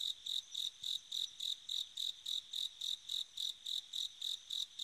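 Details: Bell cricket calling on an autumn night: a steady run of high, clear, ringing pulses, roughly three to four each second, evenly spaced with brief gaps between them, and no other sounds.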